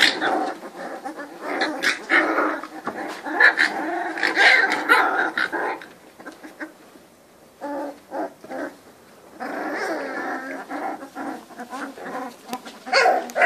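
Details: Three-week-old Cane Corso puppies from one litter, the offspring of Faust Di Casa Pretorian and Geisha De Nobil Rose, giving dense overlapping whimpers and grumbling squeals in two bursts separated by a quieter pause.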